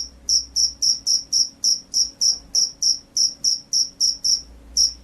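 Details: Field cricket singing vigorously: short, high, pure chirps repeated steadily about three and a half times a second, each a crisp ringing pulse, with a faint low hum behind.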